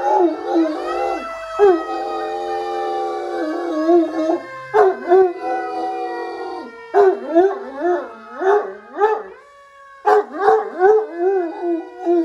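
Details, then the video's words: A six-year-old greying male Great Dane, woken from sleep, howls in long, wavering tones along with a passing fire-engine siren. "Sleepy Great Dane wakes up to howl at fire truck"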